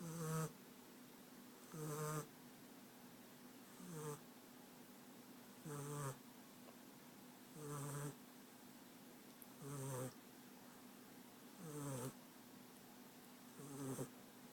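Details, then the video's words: Snoring American Staffordshire Terrier puppy called France, Rostov-on-Don, deep in sleep; steady rhythm of low throaty snores, eight in a row about two seconds apart, each with a rough buzzing tone and soft hiss. "Щенок амстафф Франс храпит"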